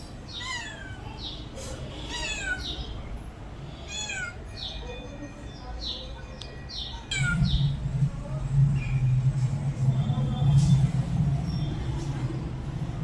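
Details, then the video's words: House cat meowing repeatedly, quick high falling meows roughly every second or two over the first half, then a loud low rumbling noise takes over with fainter calls. "my cat original sound and reaction"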